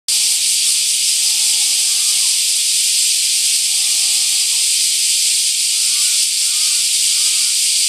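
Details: Bear cicadas in trees just past a bridge in Shukugawa Park, Kōroen, Japan, recorded 31 July 2013, very lively: a dense, continuous high hissing drone with steady loudness, plus faint thin tonal whistles that rise and fall.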